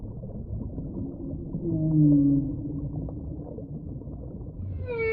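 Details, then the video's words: Whale giving a low, drawn-out moan that swells and fades in the middle, then a sharp upswept harmonic cry begins at the very end; steady low rumble throughout. "Real Whale Sounds"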